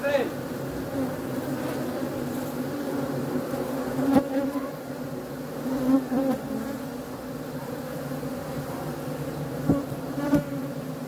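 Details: Continuous low humming drone of honey bees, steady in loudness, with occasional faint clicks and brief higher whines as individual bees pass close.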